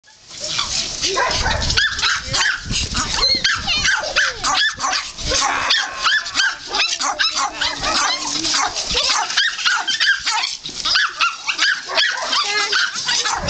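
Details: Several puppies at rough play, their high yips, squeals and sharp barks overlapping almost without pause, with growly scuffling between them and faint human voices underneath.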